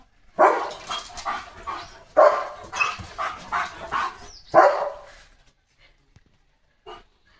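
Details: Pet German Shepherd barking outdoors in stormy evening weather with light rain falling; three loud, rough barks spaced about two seconds apart, each trailing into shorter yaps, then quiet, with a woman calling the dog in Marathi.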